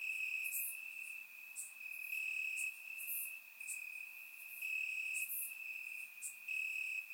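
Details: Summer-night crickets chirping in grass in Bulgaria, recorded in surround sound: a bright, steady high trill pulsing slightly in strength, with crisp clicks above and a faint low murmur beneath.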